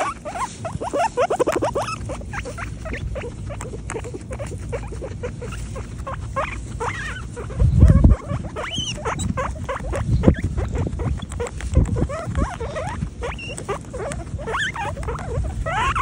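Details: Several happy guinea pigs: quick chirpy squeaks and a fast, uneven patter of short clicks, with a couple of brief rising whistles near the middle and end, and low rustling underneath.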